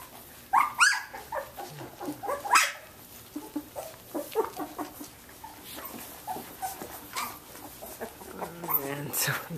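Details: Playing 17-day-old Samoyed puppies from Athena's litter of ten, indoors; scattered thin whimpers and squeaks among soft rustling and a murmuring voice, with a few brighter yelps early on.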